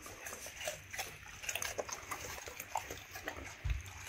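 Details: Two male Labrador Retrievers, one black and one yellow, eat raw egg over rice, quail eggs and raw chicken bones, with wet smacking and sharp crunching bites in quick succession.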